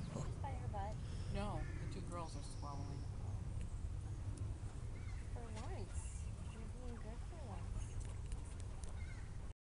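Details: Pet guinea pigs Mr Piggins, Annie, Aimee and Decker, with visiting Cookie and her son Xander, at an outdoor picnic with carrots and peppers: short rising-and-falling squeaks in scattered bursts while a person talks throughout.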